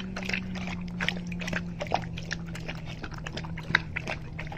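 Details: Greater Swiss Mountain Dog named Rousseau eating soup of turkey, carrots, cauliflower and red bell pepper: wet lapping and slurping clicks in quick irregular bursts over a steady low indoor hum.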